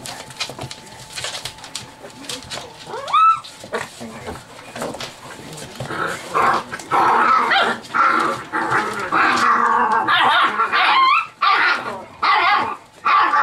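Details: Seven-week-old chocolate Labrador Retriever puppies in a rowdy litter play: sharp high squeals and yelps in bursts, some rising and falling, growing dense and overlapping in the second half, with softer scuffling and whimpers before.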